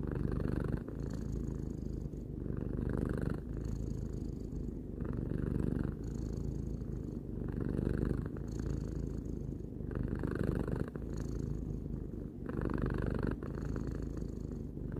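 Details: Tarou, a three-year-old domestic cat, purring indoors: a continuous low rumbling purr in long breath cycles, each phase lasting about one to two seconds with brief pauses between, steady throughout.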